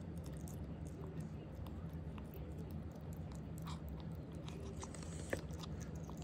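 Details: A ferret (Mustela furo) eats, chewing its food with soft, irregular crunching clicks over a low, steady room hum.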